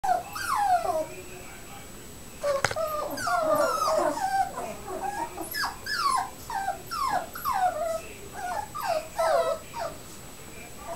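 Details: Nine-week-old Coton de Tulear puppies let out a busy run of high, whiny yelps and squeals. The short cries rise and fall and come in quick clusters, with a sharp click near the start.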